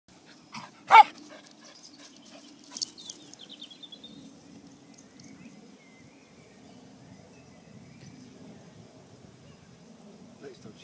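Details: Luci, a female English Springer Spaniel nearly five years old, tap dancing and barking while waiting for her ball to be thrown: one sharp, loud bark near the start, then faint scuffling and quiet outdoor background.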